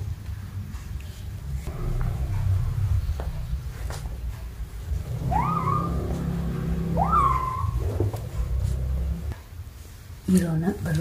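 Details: Kittens playing together indoors, chasing, jumping and rolling while batting a ball. Two short, clear meows, each rising then falling, come close together midway, over a low room rumble with a faint clatter near the end.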